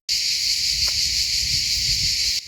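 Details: A cicada chorus fills the air with a loud, steady, high-pitched buzzing drone on a hot summer day of about 30°C.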